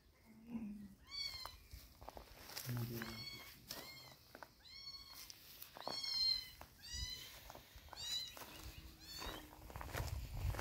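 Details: Kittens being given eye drops to treat their eyes, mewing in a small room: a rapid series of high, rising-falling meows repeated about every second, with faint human handling noises and low rumbles between calls.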